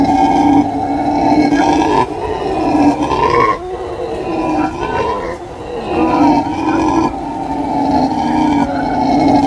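Howler monkeys give a loud, throaty roaring howl, a rough droning chorus with strong low tones. The roar rises and falls in long surges, briefly dipping before building again.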